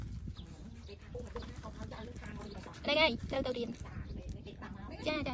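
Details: A domestic cat, a kitten, gives two drawn-out, downward-curving meows to greet people, over quiet human speech; it likes scratching and meowing as a greeting.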